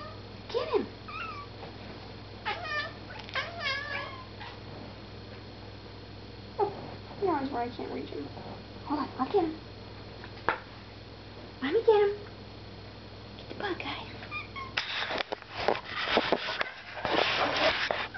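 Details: Indoor cat chattering after seeing a moth: bursts of rapid, warbling chirps and trills in short groups, with human talk mixed in and a stretch of loud rustling and knocking near the end.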